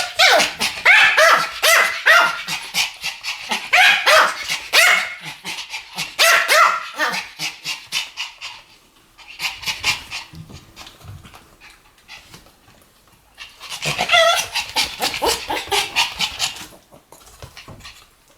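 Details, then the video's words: Pair of Pomeranians barking in duet: loud, rapid, high yappy barks in tight bursts, several clusters of fast repeated yips, then a quieter stretch before another burst of barking. "ポメラニアン Pomeranian デュエット吠え 1000回 犬の鳴き声"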